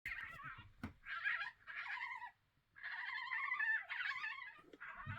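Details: Two European badgers fighting in Vestfossen, Norway, on 8 June 2023. They give harsh, harmonic screaming squeals in long ragged bursts, broken by a brief silent pause midway, with a sharp knock early on.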